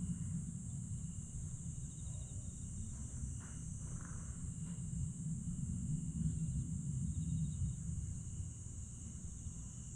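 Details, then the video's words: Grass insects calling at nightfall in Aewol, Jeju, on 22 July 2022: an unbroken high shrill tone, soft repeated trill pulses, and brief broadband knocks, all set against a steady low rumble. "천개의 달과 풀벌레 소리"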